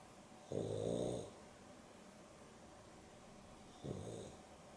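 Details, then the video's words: Boston Terrier and Beagle cross dogs, Dexter and Rio, snoring during an afternoon nap indoors; two rasping, low snore bursts, the first long and loud, the second shorter and softer, separated by quiet breathing. "Boston Terrier and Beagle X (Dexter and Rio) snoring"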